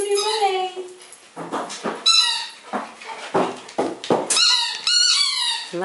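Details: Eight-week-old female pug puppy Audrey meeting dogs Molly and Knarley indoors for the first time; high, thin squealing whimpers, some sliding downward, come in short bursts between a woman's soothing praise.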